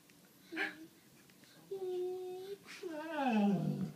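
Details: Indoors, a 7-year-old white Labrador named Sadie grumbles to get attention and coax a pug into play. A brief yelp comes first, then a steady drawn-out whine, then a longer moan that slides downward into a low groan.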